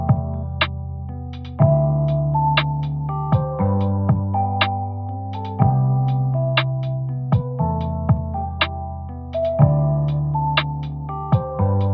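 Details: Soft electronic keyboard music with repeated plucked notes and sustained low chords plays throughout, with no animal sound heard.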